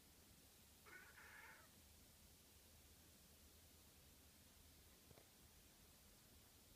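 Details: Japanese tabby cat named Hiroshi crying indoors at home after a sleepover with his older brother cats; one soft, harmonic meow lasting under a second, rising then falling, over quiet room hiss, followed later by a faint click.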